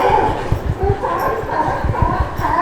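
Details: A crowd of sea lions at Pier 39, San Francisco, in the evening barks and honks in overlapping, hoarse bursts, heard in the background with a person talking nearby.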